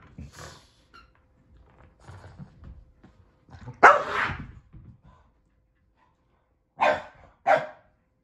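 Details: Excited Boston Terrier waiting for his toy to be thrown, giving scattered sharp barks: one early, a louder one near the middle, then two quick loud barks close together at the end, with quiet shuffling sounds in between.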